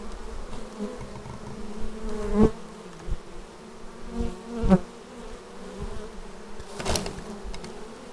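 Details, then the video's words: Hive entrance with bees arriving, recorded on a Xiaomi Yi action camera: a soft background hum broken by three or four swelling fly-by buzzes, the strongest near the middle and another toward the end. "Bees arriving at hive"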